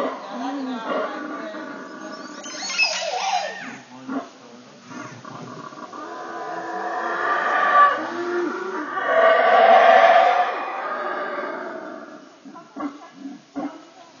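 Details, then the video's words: Howler monkey recorded at Caracol, Belize: a loud, rough roaring howl swells twice, building from about six seconds to a peak near ten seconds, with harmonic moaning tones and some scattered sharper sounds around it. "Howler Monkey"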